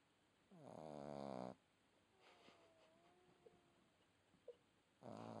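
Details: A red Boston Terrier puppy snores in loud, rattling, buzzy breaths with a quiet pause between them.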